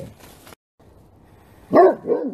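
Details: Several Great Pyrenees dogs barking together, all out: a short lull, then a pair of loud, rich barks close together, the second slightly softer.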